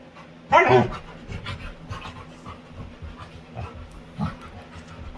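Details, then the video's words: Winry, a playful female Labrador retriever with her owner, lets out one loud, harmonic yelping cry early on, then settles into rapid, rhythmic panting with a small voiced sound near the end. "Cutest Dog Makes Funny Sounds While Playing"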